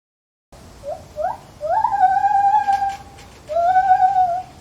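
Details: Lar gibbon calling in a zoo: a series of rising whistled hoots climbing in pitch, then long sustained wavering notes, a pause, and another long rising-then-level note over low background hiss.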